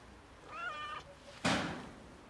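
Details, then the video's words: Fluffy cat meowing loudly while asking for food; one half-second meow with bending harmonics, followed by a sharp knock. "Loudly Meowing Fluffy Cat Asks for Food"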